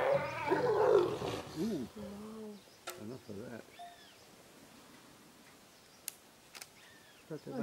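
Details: Leopard pair mating in Ranthambhore National Park, India: a loud, harsh, rasping growl-roar for about a second and a half, then low human voices and scattered clicks.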